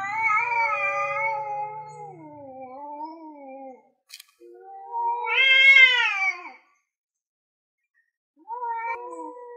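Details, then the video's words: Male cats, orange and grey, trading loud drawn-out yowls before fighting over territory; wavering harmonic-rich howls, one sharp rising wail near the middle, a short silence, then a final low moan. "Cat Wants To Fight and Talking"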